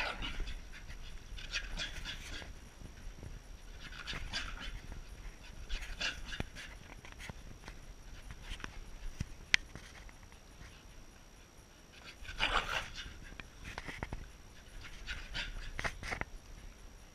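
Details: A Corgi panting in bursts, with breathy puffs and pauses between them and a faint steady tone in the background.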